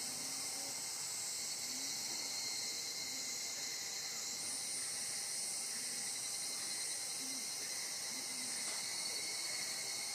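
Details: Close-range Evening cicada (Higurashi) in Japan's countryside woods, where these cicadas chorus at summer dawn and dusk with calls heard as "kana-kana" or "kan-kan": a dense, shrill, high-pitched chorus that shimmers without pause.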